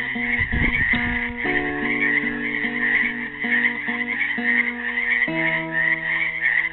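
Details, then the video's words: At a pool in Helix, Oregon, trapped frogs hold an unbroken, buzzy chorus on Earth Day 2016 beneath a classical guitar strumming and picking a made-up tune, with a brief knock near the start. "GUITAR AND FROGS SINGING"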